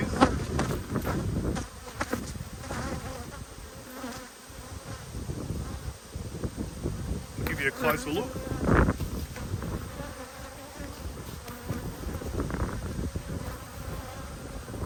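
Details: Beekeeper's hive inspection of honey bees, dated 19 March 2022: a continuous low buzz from the colony over fifteen seconds, rising and falling, with brief handling bumps and a short burst of human voice.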